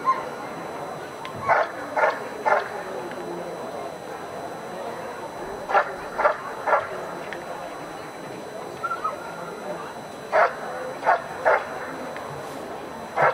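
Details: Dog barking during protection work at a dog sport trial, in 2015: sharp barks in pairs and triplets with pauses of a few seconds, over a steady background hum.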